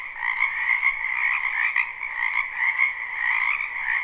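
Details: Spring wetland frogs in a live unlooped recording: thick overlapping croaking forms an unbroken chorus, buzzy trills layered in two pitch bands with gentle rises and dips in loudness.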